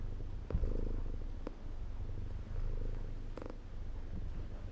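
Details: Domestic cat purring steadily, a low continuous rumble rising and falling in waves, with a few faint clicks and soft rustles over the top.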